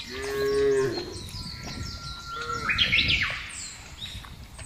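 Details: Herded cattle crossing a vast grass field: one clear moo opens, followed by a long rising bellow that climbs and holds high, with scattered overlapping calls from the wider herd.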